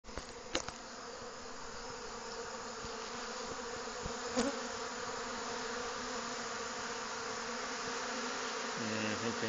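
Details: A dense, steady hum of many honey bees tussling at a hive entrance as the hive is robbed by bees from other hives during a nectar dearth.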